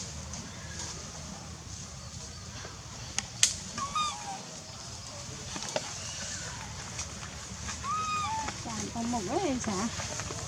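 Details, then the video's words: Baby monkey Lizza, wild in the forest of the Angkor Park Area, crying to call its mother while hungry: arched, whistle-like wails with a rise and fall, two of them spaced about four seconds apart, over outdoor background noise and low voices. "OMG Poor baby Lizza cry & cry loudly, Lizza cry to call mom& hungry"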